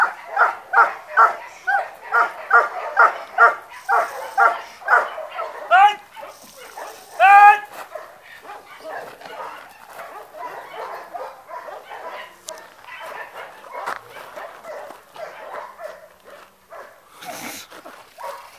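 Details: German Shepherd during guard training: a quick series of sharp barks opens, then a high yelp, followed by quieter, irregular barking mixed with human voices.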